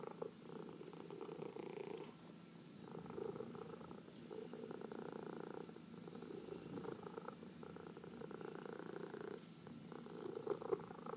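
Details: Domestic cat purring steadily during a massage, a low even rumble with gentle breath-paced surges and brief lulls, recorded indoors in a quiet small room.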